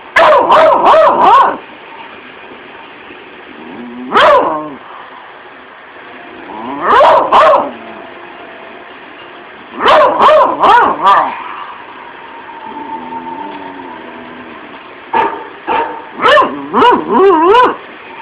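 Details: Mona, a one-year-old female beagle, barks indoors at a dog in the movie Kuffs playing on TV; rapid bursts of sharp, yappy barks in clusters separated by pauses, with a drawn-out whining tone between bursts and TV sound underneath.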